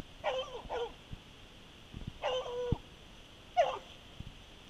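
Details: Rescued Treeing Walker Coonhound baying at a tree after tracking a scent, jumping during a hunting flashback; short harmonic bays with falling pitch, five in about four seconds, paired then spaced, with thumps between them and a steady background hum.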